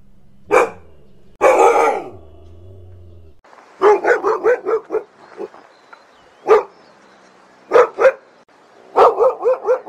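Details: Siberian Husky barking in quick bursts: a single bark, a harsher drawn call, then rapid runs of short barks in threes and fours over a faint hiss.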